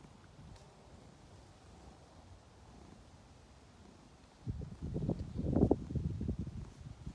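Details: Ovenmitt, a domestic cat lounging on a garden table at a farm in County Kilkenny, Ireland, on international cat day, kneading with his paws in pleasure; a quiet stretch gives way to a close, low, rumbling purr for the last few seconds.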